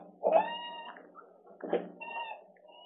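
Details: Muku, an eight-month-old female West Highland White Terrier left home alone for the first time, caught on a live camera: two high, drawn-out whines, each opening with a louder burst, then holding a steady tone before trailing off.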